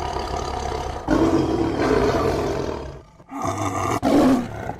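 A tiger gives deep, rasping roars in two long, loud bursts with a brief pause between.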